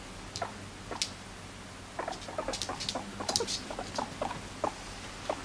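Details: Pet guinea pig crying while trailing after its owner: short chirping squeaks repeated irregularly, roughly one or two a second, some with sharp clicky onsets, against faint indoor hum.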